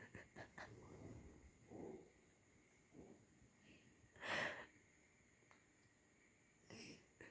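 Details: Sleeping kitten snoring softly, a series of breathy, wheezy breaths roughly every one to two seconds, with two louder airy snorts standing out against a faint steady background hum.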